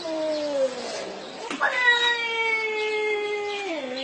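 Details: Pet cat making weird sounds likened to a baby's cry; a falling tonal wail, a brief break, then a long sustained harmonic moan that drops in pitch at the end.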